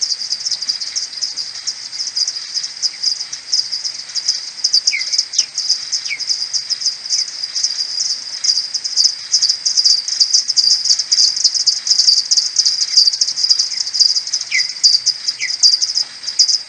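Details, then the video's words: Common pipistrelles at a maternity roost, returning in the morning on 21 May, recorded on an AudioMoth 1.1 and slowed tenfold: a dense, continuous buzzing stream of rapid clicks, with a few brief, lower, downward-sweeping chirps scattered through. "Pipistrellus pipistrellus maternity roost 2022c (social calls C)"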